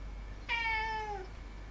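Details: Pet cat meowing once, 18 September 2016: a bright onset, then a long tone that dips slowly in pitch for roughly three-quarters of a second, ending quietly, with faint background hum.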